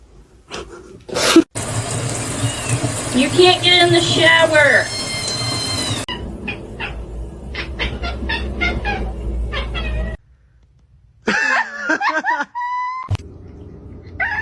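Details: Domestic cat meowing indoors, drawn-out wavering meows with bent, rising and falling tones, a run of them early on and a short burst near the end, over people talking, bumps and a steady background hum.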